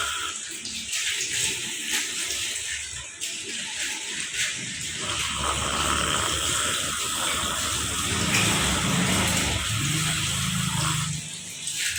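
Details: A continuous hiss, like running water or a tap, fills the recording from start to finish. No distinct animal call stands out above the noise.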